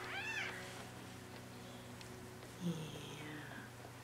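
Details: A 5-day-old kitten, born in a barn and left behind by its mother, is bottle fed. It gives one short, high, wavering meow at the start, then stays quiet over a low steady hum. A faint soft sound follows near the end.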